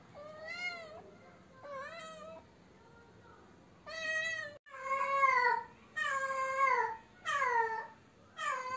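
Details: Domestic cat that cannot find a mate, giving drawn-out wailing meows, rich in harmonics, the first two softer, then a series of louder rising-falling cries roughly every second in a quiet room.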